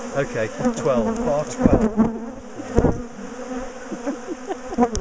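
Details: Agitated bees from a big colony in a top bar hive, being dismantled and moved for repeatedly ambushing their keepers, produce a thick, continuous buzz with rising and falling whines of nearby fliers and occasional sharp taps.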